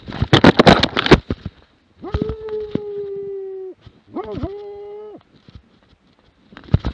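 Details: Plott hound in Lätti, 2017: after a burst of clattering noise, two long, level bays with rich harmonics follow, the first about one and a half seconds and the second about one second.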